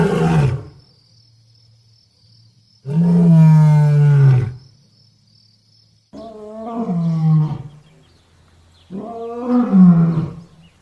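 A lion gives deep, rumbling roars, each about a second and a half long, repeated every few seconds.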